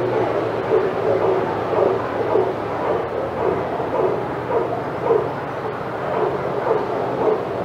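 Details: At Old Friends Senior Dog Sanctuary, several senior dogs in the outside yard get excited while Titus walks past. Mid-pitched barks come in quick bursts about twice per second, with a constant low rumble behind them.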